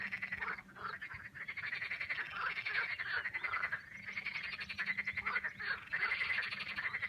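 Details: Many frogs croaking together in the Vistula River valley on the way to the Pepper Mountains, Poland: a thick, unbroken wall of rapid rattling croaks swelling and fading in waves.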